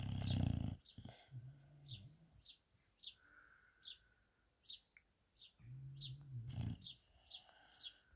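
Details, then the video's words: Sebastian the English bulldog sleeping: one deep rumbling snore at the start, then quieter drawn-out low wheezing breaths and a second snore later, under steady faint high descending chirps. "Snoring Lazy Sleepy English Bulldog!!"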